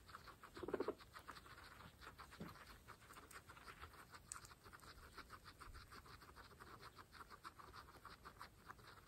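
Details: Fresh grass eaten by pregnant pet guinea pigs from a herd of 26 females: steady fast crunchy nibbling clicks, one brief low murmur near the start, quiet close recording.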